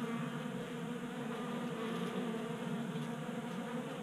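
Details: A cluster of honey bees feeding from a 3D printed bee feeder in a Colorado garage in January. A thick, constant buzzing hum with a low rumbling undertone, steady from start to finish.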